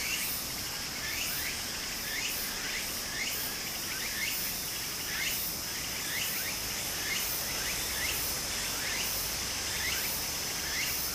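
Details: Cicadas singing in summer beside a small stream in Japan: a steady, high shrill drone runs throughout, overlaid by sweeping, wavering strokes repeated roughly once a second, with the constant rush of flowing water underneath.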